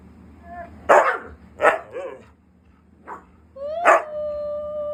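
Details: A male Siberian Husky, said to be angry at not being given treats, gives a run of sharp yelping woos ending in a long, level howl.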